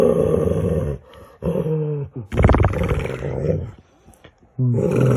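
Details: Pet dog playing games with its owner indoors, making funny noises: drawn-out, moaning, harmonic vocal sounds in two bursts separated by silence, with a person talking and cooing between them.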